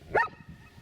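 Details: Giant Schnauzer sitting in front of its owner, calmly barking to ask for something, already communicating with him through barking during speak-command training; a single short harmonic bark, followed by quiet indoor background.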